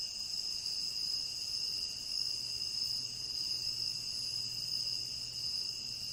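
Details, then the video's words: Continuous cricket chorus from a tropical rain forest: bright, piercing, sustained trilling on several pitches at once, unvarying for the whole stretch, with a faint low hum underneath. "Endless Cricket Chirping"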